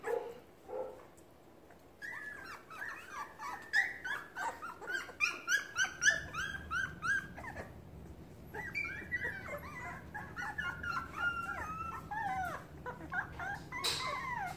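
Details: A litter of puppies in a pen yelps and whines for their nearby mother, as if starving; a dense, rapid chorus of short rising yips and squeals runs almost continuously.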